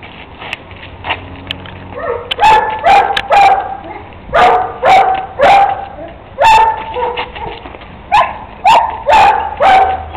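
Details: Kuvasz puppy named Napoleão Jr. (Juninho), three months old, raised personally and playing ball in the street, giving a run of short, sharp barks and yips in uneven bursts, roughly two per second, against faint background noise.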